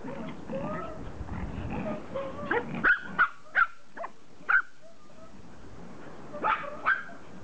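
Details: Pomeranians excited at their owner's return after a vacation, letting out a string of sharp high yips and short barks at irregular intervals after soft whining.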